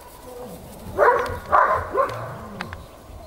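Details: Three quick, sharp puppy barks from eight-week-old Belgian Malinois playing in snow, the middle one loudest, each under half a second, followed by quiet rustling.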